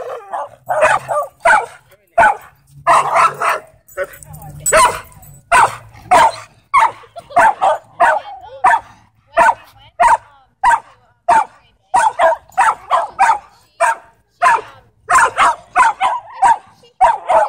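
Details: A dog with a history of repeated attacks, restrained in a headlock while attacking, giving a long series of short, harsh barks about every half second, with some pauses and human speech mixed in.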